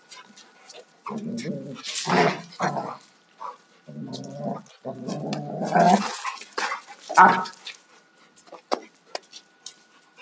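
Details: Rough play between two Alaskan Malamutes, a 2-year-old male and a 4.5-year-old female: sustained rumbling growls in long bursts, one sharp bark-like yelp, and scrabbling paws and thuds around them.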